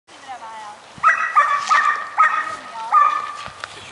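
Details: Border Collie puppy named Hank, four and a half months old, during a working session: a run of short, sharp, tonal yipping barks, about five in under three seconds, after a quieter opening.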